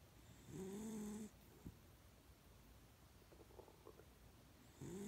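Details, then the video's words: Dog sleeping indoors lets out a long whistling snore that rises then holds steady, then near silence with faint small sounds before the next snore begins at the end. "My snoring dog"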